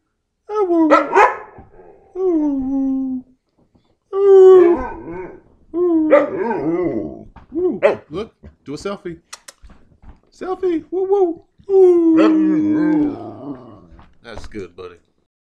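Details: A 9-year-old male Carolina Dog, adopted from a humane society, gives a run of wavering, sliding howls and yelps ("monkey noises") as a person coaxes him to talk between them.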